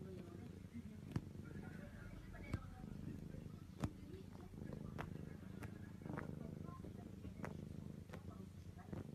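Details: Domestic cat purring, a steady low rumble with soft clicks and a few sharp taps, plus faint background speech.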